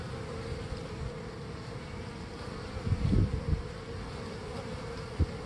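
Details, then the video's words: Hive of honey bees bringing in pollen on a warm early-spring day: a steady low droning buzz with a thin constant tone on top and a few louder passing wingbeat swells near the middle and end. "spring busy bees"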